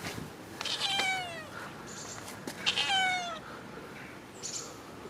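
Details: Cats meowing outdoors after rain: two drawn-out, wavering meows with falling tails near one and three seconds, a faint third later, with scattered bird chirps around them.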